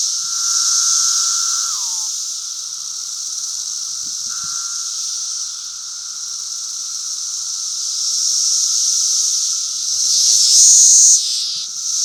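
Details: Periodical cicadas of the 2016 Brood V emergence, May 31, calling in a continuous high hiss; a lower drone slurs downward early on, a few soft thumps follow, and a brief sharp whine rises near the end.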